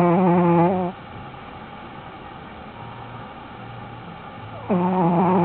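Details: Shih Tzu named Panda asleep, snoring; it had stopped once filming began and resumed later. Two loud, buzzy, tonal snores, one at the start and one at the end about four seconds apart, with soft breathing between.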